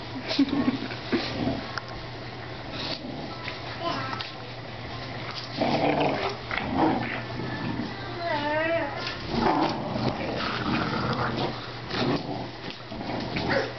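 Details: Two dogs, a 5-month-old blue pit bull and a 70-pound, 2-year-old English bulldog, playing tug-of-war at home; rough growling and scuffling throughout, a brief whining, wavering tone near the end, with people talking and laughing over it.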